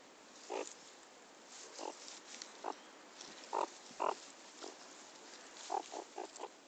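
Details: Pet meerkat being teased and playing with its owner, giving short harsh grunting calls in irregular bursts, some doubled, spaced about one to two seconds apart over a steady hiss.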